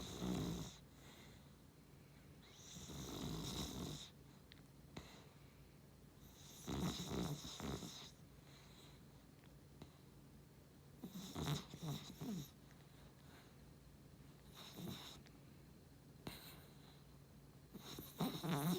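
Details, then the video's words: Snoring dog, a Beagle crossed with a Cavalier, asleep in a small room. Irregular rasping snores and snorts repeat every couple of seconds over nearly twenty seconds, some louder and longer, some short and faint. "いびき犬 ビーグル✖️キャバリア"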